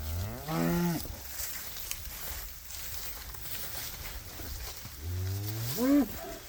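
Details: Cows out on winter pasture: a short moo near the start, a quiet stretch of faint background noise, then another moo that rises in pitch at the end.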